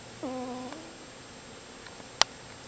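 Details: Pet cat snoring indoors: one short, whistly, tonal snore with a steady low pitch and faint upper harmonics, then quiet room hum and a single sharp click near the end.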